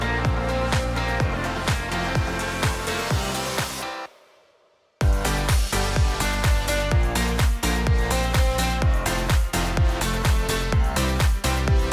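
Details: Pounding electronic dance music with a fast regular beat drops out for about a second, then resumes, with no animal sound.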